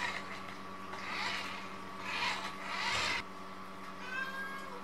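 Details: Munchkin cat, one of three siblings, tussling with a mop indoors: short meows near the middle, then a higher, wavering cry toward the end, over broad swishing scrub noises and a steady low hum.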